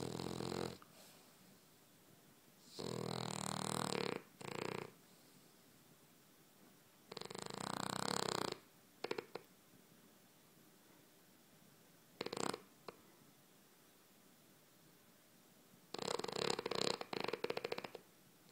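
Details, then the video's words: Dreaming pet dog snoring like a pig indoors: harsh, raspy snore bursts of one to two seconds recur roughly every four to five seconds, some split into short stuttering pieces, with a quiet room in between. "Snoring Dog"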